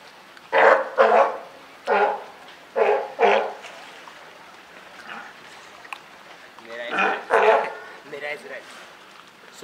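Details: California sea lions, a mother with her just-born pup, at Higashiyama Zoo and Botanical Gardens on Wednesday, 28 June 2023. Hoarse, harsh barks come mostly in pairs, roughly seven in all, with quieter gaps between the bursts.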